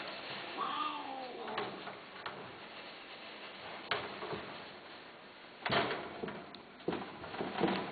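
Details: A pet cat from a 2011 for-sale listing gives one short, bent meow early on. Knocks and clicks follow, like a door moving indoors.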